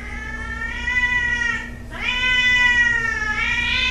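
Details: Fighting cat letting out a loud sustained scream: a steady harmonic-rich yowl, a brief break, then a second rising howl held on at a strained high pitch.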